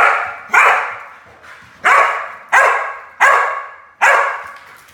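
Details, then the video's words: Excited barking from Bodhi, a Keeshond, just after romping in his kiddie pool. Six sharp, raspy barks come in uneven bursts, each fading quickly, with brief quiet gaps between them. "Keeshond Expresses His Joy"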